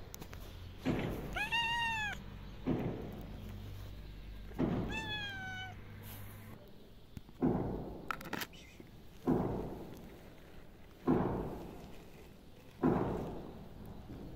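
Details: Happy female tuxedo cat greeting a familiar person: two drawn-out, arched meows a few seconds apart, rich in harmonics, amid a steady series of soft thuds and knocks repeating roughly every two seconds.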